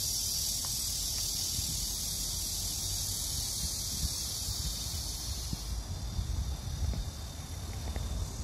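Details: Cicadas drone in a steady, high-pitched hiss over a low rumble of background noise on a summer night.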